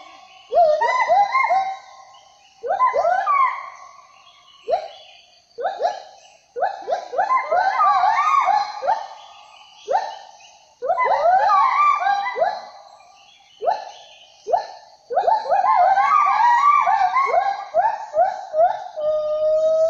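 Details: Gibbon calls, known locally as 'wawa', heard along a hiking trail in the Meratus mountain forest, rarely seen but often heard: loud, tonal whoops swooping up and down, repeated in quick overlapping bursts.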